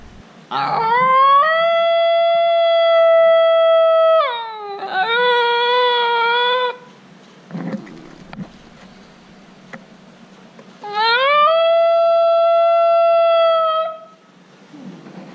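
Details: Yodel of a female Basenji: a sustained, tonal howl-like note rising into a level hold for about three seconds, then a lower, quavering phrase, a pause, and another rising, steady drawn-out tone.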